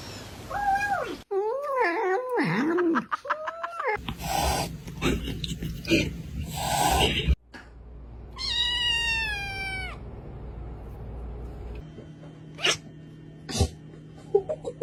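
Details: Domestic cat calling with wavering, bending meows in the first three seconds, then a long drawn-out meow sliding downward near the end, with music and noisy bursts in between.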